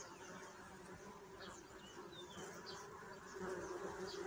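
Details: A steady, low bee drone with a brighter overtone that swells louder near the end, and scattered thin bird chirps and a short whistle behind it.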